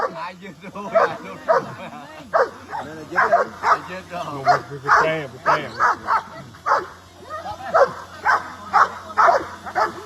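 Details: Several curious dogs watch a drone flying overhead, some barking and running around; a dense, uneven run of short sharp barks, sometimes overlapping, with a steady low hum beneath.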